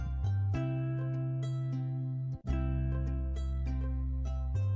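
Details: Gentle plucked-string melody over a bass line, with a brief break midway, and no animal sound.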